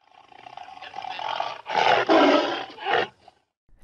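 A tiger gives a harsh, rasping roar in two or three loud bursts that swell and fade over about three seconds.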